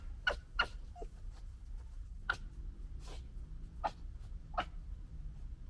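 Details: Young red foxes of the 2021 litter fighting and gekkering: sharp, clipped yelps and clicks, six or so spaced irregularly over a few seconds, over a low background hum.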